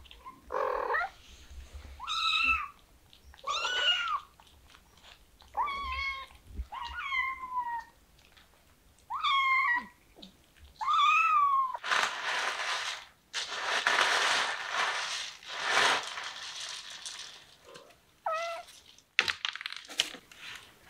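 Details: Kittens meowing in a quick, uneven series of high, wavering cries, about nine in the first twelve seconds, then a burst of broad rustling noise before a few more short meows near the end.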